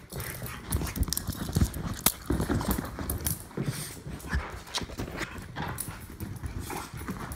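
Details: Two dogs, a Jack Russell Terrier mutt and an English Bulldog, play-fighting; low, rough rumbling growls mixed with scuffling, thumps and irregular noisy bursts throughout.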